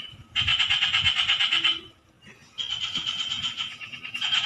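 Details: Two long bursts of fast pulsed croaking from a frog, a buzzy rattle broken by a clear pause of under a second, with low background rumble.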